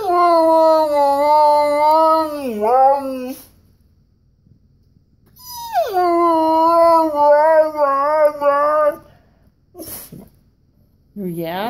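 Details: Indoor Siberian Husky, Koa, complaining because he wants a walk: two long harmonic howl-like whines, the first dipping at its end, the second starting with a sharp downward slide, a brief whimper closing.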